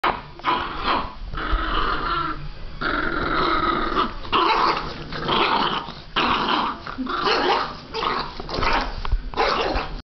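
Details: Two Boston Terrier puppies growl and yap in rough, broken bursts while playing.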